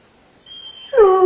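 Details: Domestic dog whining while shut in a kennel, complaining at being left behind as its owner drove the children to school; a faint thin high tone first, then a short louder whine sliding downward.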